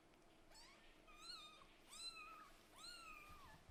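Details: Sleepy kitten of Lulu, a Scottish Fold mother, and Leo, a British Shorthair father, yawning loudly after waking in the morning: four drawn-out, high, tonal cries that rise then slowly fall, in a quiet indoor setting.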